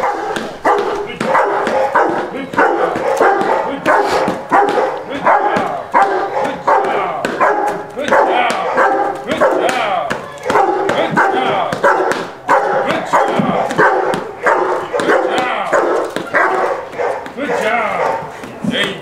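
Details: Rottweiler on its first day of object-guard training, standing on a rubber feed bowl and barking as a decoy tries to take it; deep barks repeat rapidly, about one and a half per second, with a handler calling praise throughout.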